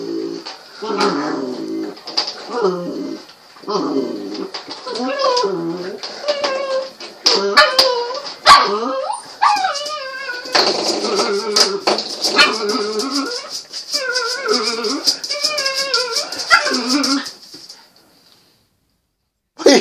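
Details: A Patterdale Terrier puppy playing with a spring door stop whines, yelps and gives short barks for about seventeen seconds, with rising and falling squeals, a faint steady high-pitched hum behind, then quiet.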